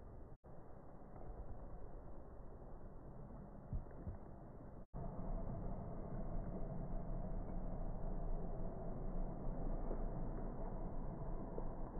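Only a steady low rumble like passing traffic or engine noise is heard, with no animal voice.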